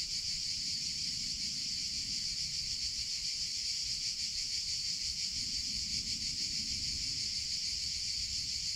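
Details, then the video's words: An unbroken, high, hissing buzz from summer cicadas fills the whole stretch, slightly throbbing, with low rustling noise beneath it. "CICADA SOUNDS - Sound Effect of Cicadas in Summer Sounds of Cicada (Chicharra, Campanero)"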